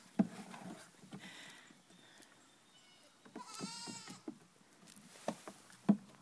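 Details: Young goats aged three weeks dancing; a single drawn-out trembling bleat sounds midway, framed by a few sharp hoof thuds and soft shuffling.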